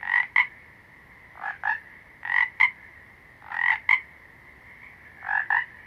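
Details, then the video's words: A frog gives five paired croaks in a row, each two short grating pulses in quick succession, with irregular gaps of about one second between pairs. A constant thin high hum continues underneath. "Frogs - Nature Sounds"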